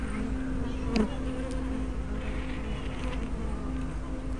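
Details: Honey bees at a hive entrance on 24 May 2012, picked up by a small spy camera with a fisheye lens: a steady low droning hum with a firm tone band, broken by one brief sharp click near the second mark.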